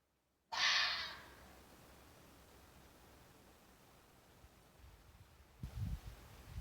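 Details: Fox calling during mating season: a single harsh, hoarse scream lasting about half a second, loud and noisy across a wide range, then a quiet background with a few low thumps near the end.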